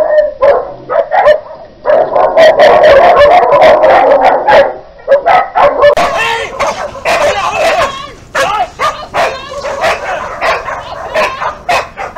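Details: In Küstrin-Kietz in the Oderbruch, Brandenburg, on 20 August 2018, a free-roaming Newfoundland without a collar mauls a leashed Keeshond. Piercing drawn-out yelps are followed by a rapid series of barks and shrieks that grow choppier toward the end.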